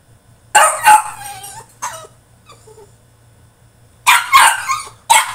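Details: A French Bulldog throwing a tantrum in his cage gives loud, rough, yelping barks in two clusters, with faint whimpers in the gap between them.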